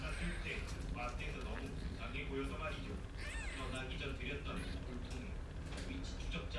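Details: Persian cat meowing in a box while a mother cat gives birth to kittens, drawn-out rising and falling meows with people talking over them and a low steady hum.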